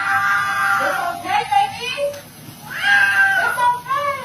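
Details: Kitten screaming indoors, with drawn-out, wavering yowls that rise and then fall, coming in two bursts and overlapping with a person talking excitedly.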